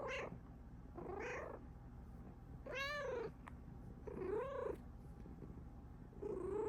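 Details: Pet Bengal cat, female, excited and happy with her owner present, drooling; quick varied meows and chirps, five calls in under seven seconds, some short and trilled, one long arching cry, owner speaking softly nearby.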